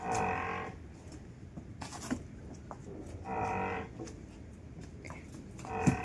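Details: Newborn water buffalo calf on a farm. Two drawn-out, harmonic, moo-like bleats roughly three seconds apart, with a short fainter sound between them, over low steady background noise.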